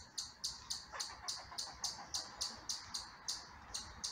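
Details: A young squirrel, recorded on June 8, 2022 after hearing a strange noise, gives a fast series of sharp, high, scratchy chips, about four each second.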